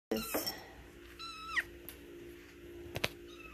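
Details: An 8-week-old male silver Egyptian Mau kitten, wanting to play with a feather toy, gives a brief, thin, high reedy meow dropping in pitch, after a scuffle, over a low hum, followed by sharp clicks; July 9th, 2020.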